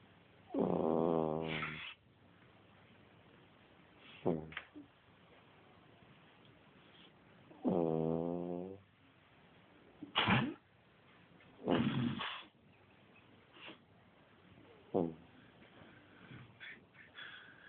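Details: Pet dog snoring while asleep during a nap: two longer, drawn-out tonal snores about seven seconds apart, between them and after them shorter raspy, breathy snorts at irregular intervals of a second or two, indoors.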